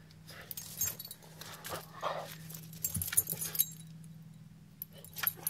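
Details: A female French Bulldog snorts, snuffles and gives brief whining sounds in short, breathy bursts while finding her first mouse.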